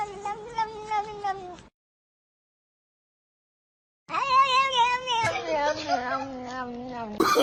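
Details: Domestic cat in a funny pet compilation giving two drawn-out, wavering meows, the second longer and bending downward at its end, separated by a short silence, with faint background noise.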